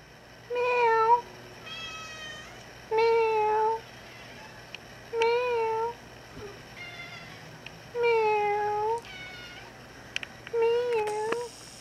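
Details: Domestic cat, a formerly abandoned female now kept indoors, meowing to be let outside and talking back to her owner; six clear, drawn-out meows with a slight wavering pitch, spaced roughly every two seconds, in a quiet room.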